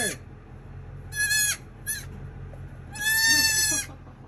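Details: Newborn baby dwarf goats calling with short, nasal bleats, two brief cries then a longer quavering one near the end, over a constant low mechanical hum.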